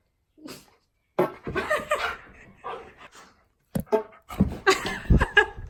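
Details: Key, a pet dog indoors in a small room, argues back at his owner over fart sounds. Short, rough bursts of barking and grumbling vocalizing come in uneven clusters with pauses between, mixed with the owner's laughter and brief speech.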